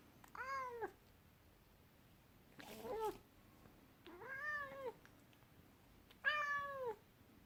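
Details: Angry Scottish Fold cat giving three drawn-out, harmonic meows that bend downward at the end, spaced roughly two seconds apart, with a brief rough, scratchy squeak between the first and second; otherwise quiet.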